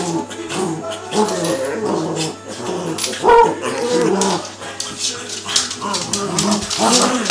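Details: Cavalier King Charles Spaniels, two dogs play fighting at home: continuous low rolling growls and grumbles with occasional sharper snarls, steady rough texture, faint voices in the background.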